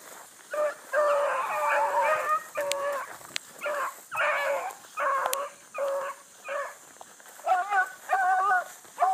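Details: Blueticks running a big rabbit that circled a couple of times, early morning in July 2012, a new pup learning with the pack. Long, mournful bawls mixed with shorter chop barks, several hounds overlapping, quickening near the end.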